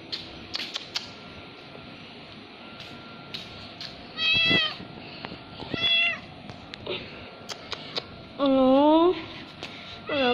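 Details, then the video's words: Orange, white and brown house cat giving several short meows spaced a couple of seconds apart, some rising then falling, the last ones lower and longer, with quiet indoor background and soft clicks. "Cat Meowing"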